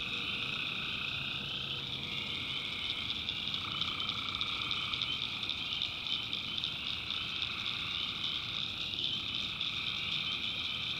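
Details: Tree frogs calling at night in a swamp in the North Carolina backwoods. A dense, unbroken chorus with a high shimmering trill, plus a lower pulsing band that fades out and returns at intervals.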